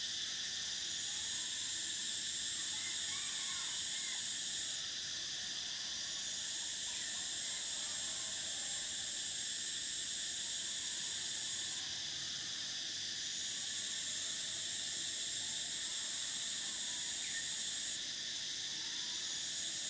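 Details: Cicadas singing in summer: a dense, steady high-pitched buzzing chorus, with a shrill whine near the top that switches on and off in long stretches of several seconds, over faint chirps lower down.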